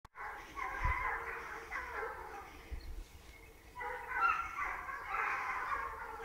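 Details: At the start of a wild boar hunt, a pack of hunting dogs bays after the boar in a steady, overlapping chorus of rough, drawn-out barks.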